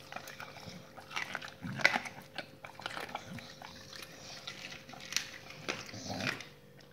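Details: Several dogs on a raw diet eat raw meaty salmon bones and raw chicken carcasses; wet crunching and tearing bites come in irregular bursts, with a steady low electrical hum underneath.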